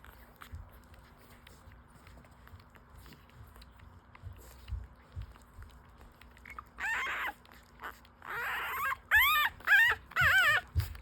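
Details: Five-day-old full-suit French Bulldog puppies, newborns breastfeeding, give high squealing whines with bending, wavering pitch, bunched toward the end in about four loud bursts, after a quiet stretch of soft suckling and rustling.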